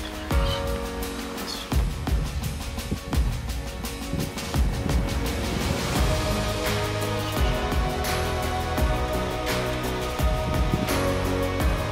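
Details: Steady instrumental music plays throughout, with no animal voice heard.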